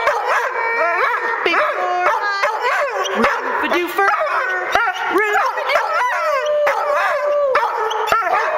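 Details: Pet dog howling along to a favourite song it sings with, wavering rising and falling yowls over loud brass-led music.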